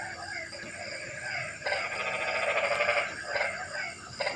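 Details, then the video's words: Frogs calling on a rainy night: a burst of rapid, nasal pulsed croaks in the middle, with fainter callers before and after against a steady background hiss. "Kodok & Suara kodok hujan meramaikan suasana sepi malam ini"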